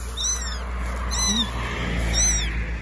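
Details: Helpless baby kittens, abandoned in wet grass next to an animal shelter in the rain, give three shrill, downward-curving meows about a second apart, and a low human voice murmurs between the cries.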